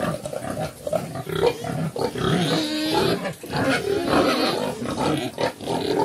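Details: Mother pig with her piglets, black farm pigs known in Cambodia as Chrouk Kandorl: dense overlapping squeals and grunts, a continuous noisy chorus with a tonal whine in the middle.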